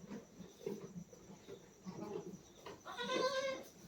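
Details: Goats in a pen with newborn kids, some two days old and one 24 days old, after a doe has just kidded. A man talks softly, then a clear, wavering, harmonic bleat rises near the end.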